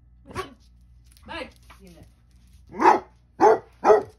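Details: Basset Hounds barking and talking back indoors: soft grumbling and whining sounds lead into three loud, rough barks in quick succession near the end.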